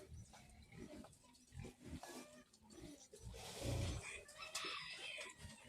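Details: Piglets keep up a run of short, deep grunts that swell into a louder rasping grunt near the middle, set against steady background rustle and hiss.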